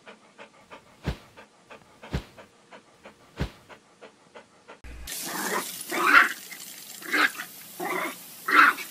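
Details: Domestic dog panting in quick, breathy bursts with a few sharp clicks, followed by an abrupt change to a noisier scene with louder rasping puffs over a hissing background.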